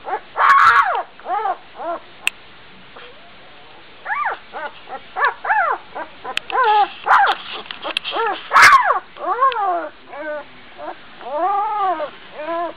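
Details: Twelve-day-old Gordon Setter puppy barking and scampering while its littermates attempt to sleep. Bursts of thin, rising-falling yips come in clusters, broken by brief silences, with a few louder squeals.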